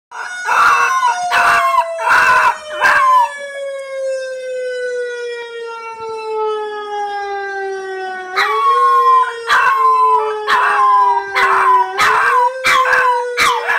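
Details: An 11-week-old female puppy howls along with an emergency vehicle siren. Her wavering, harmonic-rich howls come in bursts over the siren's long tone, which slides steadily down and then jumps back up.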